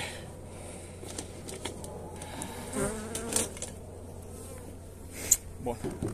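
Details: Honey bees being fed energy cakes on 29 January in very pleasant weather: a low, steady hive hum runs throughout, with scattered clicks and soft rustling and brief handling knocks.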